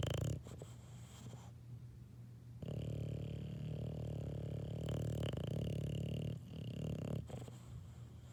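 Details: A baby English Bulldog snores in its sleep: a short grating snore, a pause, then a long rough rumbling snore of nearly four seconds, with a faint steady hum behind.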